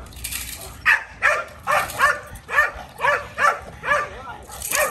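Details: A challenging male Rottweiler, Kolohe, on day one of bite work for protection training, gives a regular series of rough, punchy barks, about two per second, over faint background noise.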